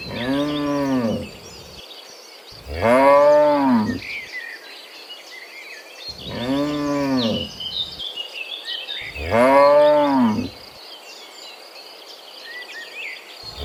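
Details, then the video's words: Afternoon walk home from the fields to the pen by dozens of cows: four loud, arching, resonant moos with gaps of a few seconds, backed by a high insect drone and faint birdsong. "Dozens of Moo Cows Walking Home from the Fields to the Pen in the Afternoon, Sound of Cows"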